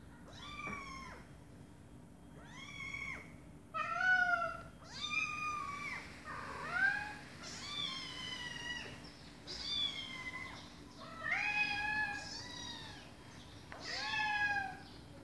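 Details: Kittens meowing with their mother cat answering: high, thin, arched meows follow one another closely, some short and clipped, a few longer and bending downward, over a faint steady background hum.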